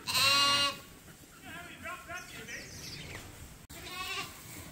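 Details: Bottle-fed lambs at Ewetopia Farms, still nursing from their mothers but topped up from a hand-made bottle feeder twice a day: one loud, high, strongly harmonic bleat, then fainter overlapping calls and a sharp click.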